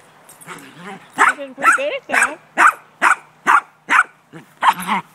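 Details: A dog playing ball barks repeatedly, about every half second, while a person talks and encourages it over the barks.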